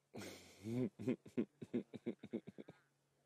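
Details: Nkhuma lion cubs greeting their mother at sunrise on Aug 23 after she returns from drinking at the pan, one cranky cub denied a spot to suckle: a harsh drawn-out growling call, then a quick run of about a dozen short grunting growls.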